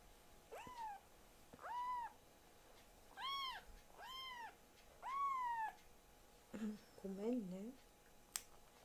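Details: Young foster kittens, Ashiro and Akuro, rescued and raised indoors, mewing in protest during nail clipping: five arched, harmonic-rich mews about once a second, then lower, wavering squeaky cries near the end and a sharp click.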